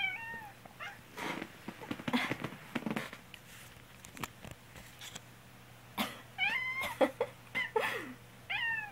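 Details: Kuu, a black pet cat indoors, meows over and over whenever its owner, sick with a cold, coughs. A short bending meow opens, harsh coughs follow, then several clear rising-and-falling meows crowd the last three seconds.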